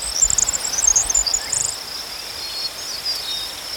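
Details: Crickets chirping outdoors in nature, a high steady trill band with brief brighter buzzy bursts early on, then a fainter continuous hum; faint low rumble underneath.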